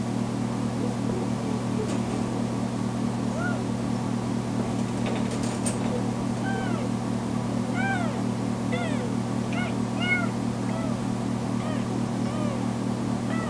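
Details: Left alone in a bedroom after her spay surgery, foster kitten Tamera throws a fit, producing a long string of loud arched meows that speed up in the second half, all over a persistent low electrical hum.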